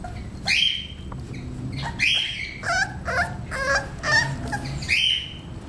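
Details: Romeo, a male English Bulldog puppy aged 38 days, lets out shrill, rising squeals and yelps, repeated roughly once a second with brief pauses between, over faint low background noise.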